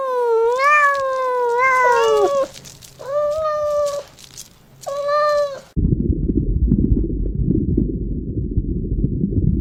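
A cat gives several drawn-out, wavering meows over about five seconds, some rising then falling, before a steady low rumbling noise takes over.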